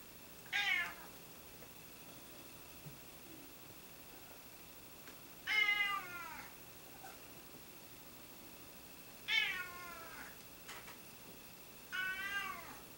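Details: Cats that won't stop meowing indoors: four short, sharply rising-and-falling meows spaced several seconds apart in an otherwise quiet room.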